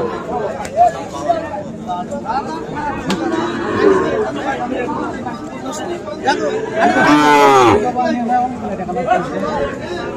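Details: Sahiwal bull calves at Ambari cattle market on 13 November; one drawn-out, harmonic moo rises above steady crowd chatter and shouting near the seven-second mark.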